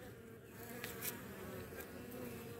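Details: Honey bees at a Baltimore hive finishing off a European hornet queen that scouted the hives one morning; even, thick buzzing drone, with a few short clicks over the hum.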